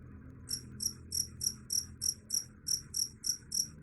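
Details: A cricket, said to drive off rats, starts after a half-second pause and chirps in shrill, regular pulses about three times a second, with quiet low background noise.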